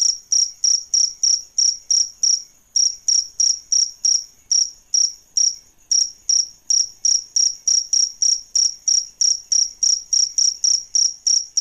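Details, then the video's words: Grown crickets, male and female, kept for tutoring songbirds, give a fast run of bright high-pitched chirps, roughly three per second, broken by two short gaps, clean background. "Suara JANGKRIK Jantan dan Betina"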